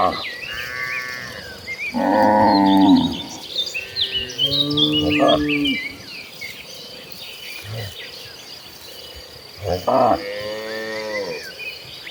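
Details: Late-afternoon cattle herd on its way to pasture, giving several spaced, throaty moos of varying length over busy bird chirping and twittering.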